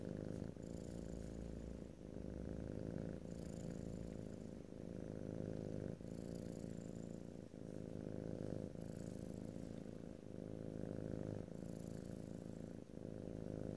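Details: A house cat purrs continuously in a low vibrating rumble, rising and falling roughly every two to three seconds with its breathing, plus faint airy hiss on each cycle; no speech.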